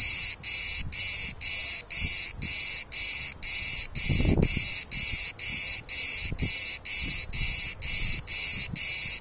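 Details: Cicada (Ağustos böceği) in trees and bushes in Turkey, very loud and hard to see: a high, harsh buzzing pulsed in regular bursts about twice a second throughout, with faint low rustling beneath.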